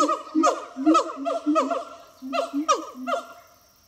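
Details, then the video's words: Siamang pair Harry and Mila sing at Zoo de La Fleche on a hot August 2018 morning. Loud staccato barks come in bursts of about two per second over low booming notes, pause briefly, then resume and fade. "Singing Siamang Gibbons"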